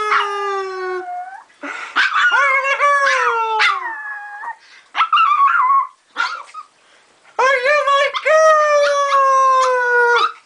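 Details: Female dog Joker howling in response to praise as a good girl; several drawn-out tonal howls separated by short pauses, some gliding upward then sliding down, with brief yips between phrases indoors.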